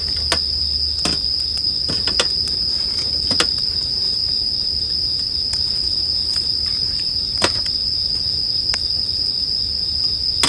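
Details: Steady, high-pitched ringing of bell crickets runs without pause beside a wood fire, whose irregular crackles and snaps break in every second or so.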